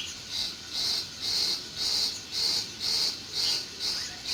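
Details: A cricket in a June meadow chirps in bright, high-pitched bursts, each about a third of a second long, repeated steadily about twice per second over a quiet background.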